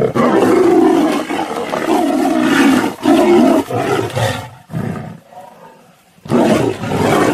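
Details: Tiger clashing with a lion, continuous coarse snarling roars loud from the start, a short lull of low growls near five to six seconds, then roaring resumes.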